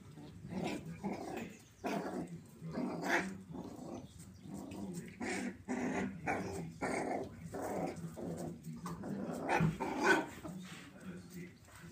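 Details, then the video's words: Miniature poodles growling while playing indoors, a series of rough, throaty growl bursts roughly every half second to a second, with occasional sharper bark-like accents throughout. "Play Time Miniature Poodles"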